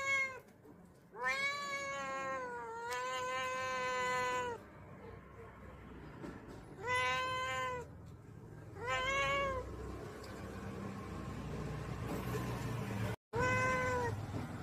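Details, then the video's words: Angry domestic cat at home in a garden, giving five drawn-out, harmonic-rich meows. The first two run back to back, then come separate calls near seven, nine and fourteen seconds, with a low background hum between them. "Angry CAT"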